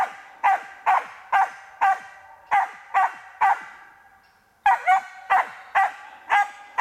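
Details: Karelo-Finnish Laika barking during training on a marten: loud, sharp barks spaced about half a second apart, a brief lull, then another fast run of barks.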